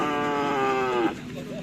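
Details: Cattle in training for karapan sapi bull racing at a field in Asemanis, preparing for a Pamekasan regency selection event. A single drawn-out, tonal moo lasts about one second and falls slightly in pitch at the end, with music faintly behind.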